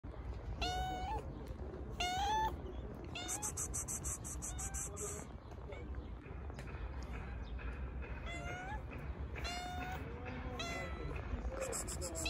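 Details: Tabby cat talking to its owner, giving a run of clear, tonal meows, some short and some drawn out, spaced a second or two apart across the recording, with soft clicks and a low background hum.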